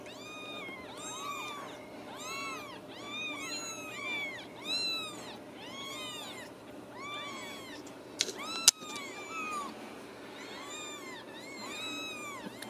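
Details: Ragdoll kittens, born and raised uncaged in a home cattery in central Kansas, calling together: many high, arched meows overlapping, several each second, with a sharp click near the end over a faint steady hum.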